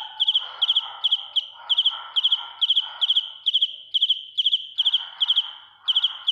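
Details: Close-up of a real cricket singing, ear-piercingly loud: high, pure pulsed chirps of three or four quick pulses, repeated about two or three times a second, with short pauses and soft rustling noise underneath.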